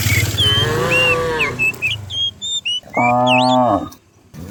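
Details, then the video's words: Dozens of cows herded down a hillside in the morning in the countryside. Two loud, drawn-out moos, the first long and level, the second shorter and flat, with high whistled bird chirps scattered above. "cow sounds"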